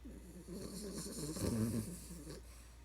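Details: A very tired puppy named Tinky, asleep, snores in a low rattling rasp, one drawn-out breath swelling louder in the middle then fading, over a steady low background hum.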